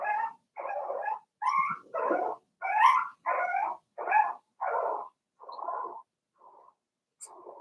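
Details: Daisy's four-week-old Cavalier King Charles Spaniel puppies in their pen, producing a steady series of rough little barks and whimpers, roughly one every second, fading to softer, quieter yaps toward the end.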